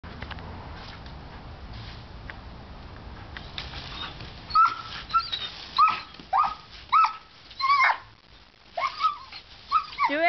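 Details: Female German Shepherd puppy whining while playing in a garden hose spray, giving short high whines that rise and then fall, repeated about once a second in the second half, with water hissing throughout.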